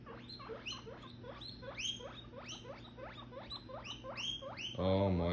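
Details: Two domestic guinea pigs, a son and his father, chase each other around in a circle, giving a rapid series of sharp rising squeals, about two per second, ending in a lower rumbling purr.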